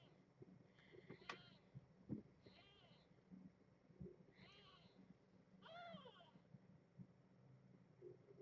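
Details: A male newborn kitten, about 2.5 days old, meows in his sleep with thin, high, wavering mews, several in a row with short pauses; his mother is a brown tabby.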